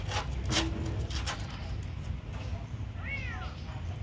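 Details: One short, high, arching meow from a kitten getting food comes near the end, after a burst of clattering and knocking noises at the start.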